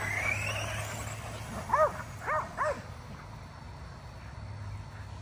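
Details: Barking from a group of five Kerry Blue Terriers chasing an E Revo remote-control car during home exercise: three clear, ringing barks in quick succession over a steady low hum and soft background noise.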